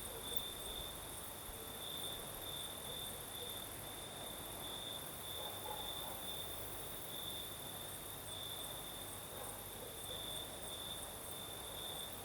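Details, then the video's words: In the Crimean south at night, crickets keep up an unbroken shrill trill that swells in short pulses, with an even wash of breeze noise beneath and a thin, very high background shimmer. "Сверчки поют"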